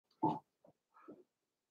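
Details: Cavalier King Charles Spaniel puppies playing in an indoor home puppy pen: a short, loud low grunt, then a brief softer grunt and a wavering, mid-pitched growly grunt, with silence between.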